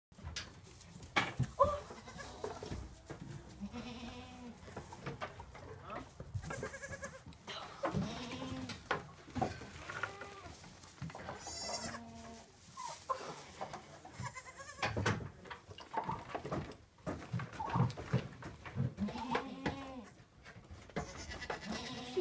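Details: Twin Toggenburg/Alpine cross doelings born this week, playing; short wavering bleats scattered through, some rising and falling, mixed with people talking and soft handling noise.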